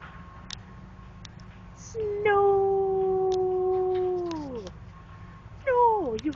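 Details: Five-month-old male Keeshond puppy playing in snow, recovering from surgery; one long, steady, whistled howl about two seconds long that bends downward at the end, then a short falling yelp, with people talking quietly.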